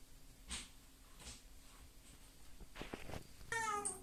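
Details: A Devon Rex cat being washed gives a loud, drawn-out meow after bursts of splashing water.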